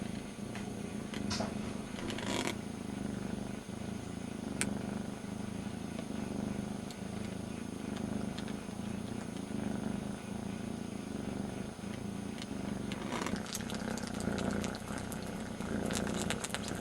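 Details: Young kitten, one of two brothers, licking its brother's ear as a substitute for its missing mother; a steady low rumbling purr runs throughout, with brief clicks and rustles and soft French voices in the background.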